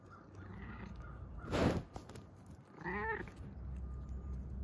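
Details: Siberian cat during affectionate bumping gives a single rising-falling meow near the end, after a brief loud rustle or thump, over a low background hum.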